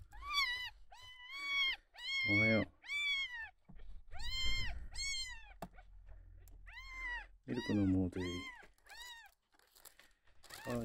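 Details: Sick, dehydrated male red tabby and white kitten, rescued at one day old, ten days into care, refusing bottle milk, possibly constipated; about ten high, arched mews in quick bursts, with human speech in the gaps, indoors.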